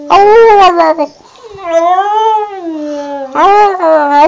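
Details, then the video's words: Border terrier Wilson sings in a row of tonal howls whose pitch wobbles up and down, with one long, gently arching note in the middle and a rougher, whinier start and finish. "Wilson the border terrier sings again"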